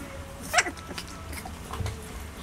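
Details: Corgi puppies, three weeks old, in a puppy fight; a brief high yelp stands out once, then softer scuffling noises and low background hum in an indoor setting.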